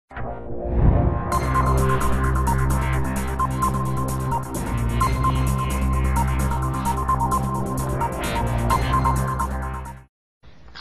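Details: Loud electronic trance music with a steady throbbing beat and layered synth tones, cutting off abruptly near the end.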